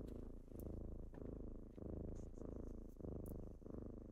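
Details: Kittens waking their owner in the morning with loud close purring, a rich low rumble rising and falling about every half second to second, with faint high ticks.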